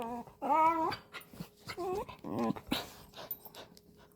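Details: Bernedoodle whining while being brushed indoors in a small room, a high, wavering whimper with rising and falling tones in several short bursts, a second dog nearby, a person speaking softly between cries.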